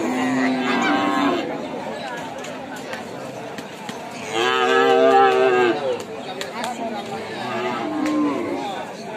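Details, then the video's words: Cow during milking, with a few lowing moos with stacked harmonics, the loudest in the middle of the clip, and shorter calls at the start and end against a background of faint clatter. "Most popular cow milking video in the world"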